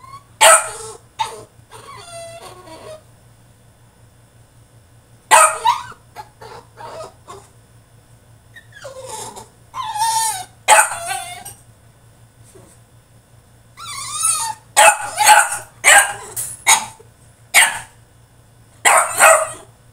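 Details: French Bulldog throwing a tantrum in his cage: bursts of high, wavering whines and yelps with harmonic stacks, some short sharp yips, separated by quiet pauses, growing more frequent and insistent toward the end; steady low electrical hum underneath.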